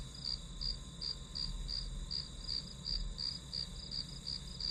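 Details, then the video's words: Grass insect ambience used as study white noise, with crisp high-pitched chirps coming a little under three per second over a steady shrill background tone and low murmur. "풀벌레 소리"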